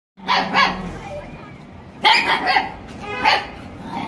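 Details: Dogs fighting, with harsh broadband barks and snarls in three bursts near the start, middle and end, separated by quieter gaps; faint speech also present.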